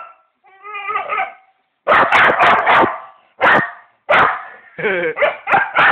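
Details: Pet dog making weird noises while going wild: a wavering, quivering whine opens, then loud rapid harsh barks run together, ending in warbling yelps.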